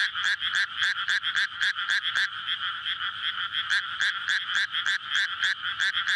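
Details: Frog chorus at night in May in flooded rice paddies before planting, surrounded by housing, calling in courtship to breed; dense overlapping croaks pulse several times a second in steady bands, recorded on a SONY PCM-D100.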